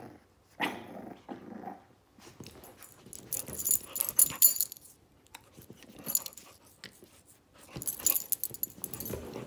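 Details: Playful wrestling between Zou Zou, a 9-week-old Shih Tzu puppy, and Lola the pit bull. Irregular rough growly bursts and hissy scuffles come in clusters, with brief pauses between them.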